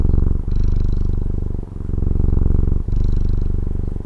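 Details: Close-up purring of a Taiwanese house cat, a dense low rumble in three breath cycles, each swelling then dipping briefly, with a slight hiss at the start of the in-breaths.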